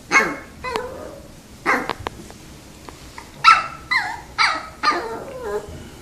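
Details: Pet dogs waiting in front of treats give a series of short, sharp yips and whiny barks in bursts, some with falling whimpered tails, spaced irregularly over several seconds, with faint room noise between.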